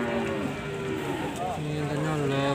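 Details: Cattle amid the bustle of trading at Pasar Sapi Kragan, Rembang, Central Java, Indonesia. A level moo at the start is followed by a deeper, drawn-out low bellow in the second half, over people talking and general market noise.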